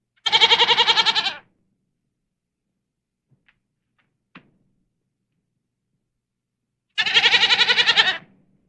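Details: Two quavering bleats from a domestic goat (Capra aegagrus hircus), each about a second long and sharply pulsed, separated by roughly six quiet seconds with a couple of faint clicks.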